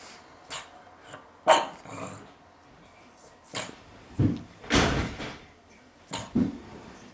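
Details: Grumpy, somewhat mad pug giving short barks and growling huffs in bursts about a second apart, with quieter snorts between, in a small indoor space.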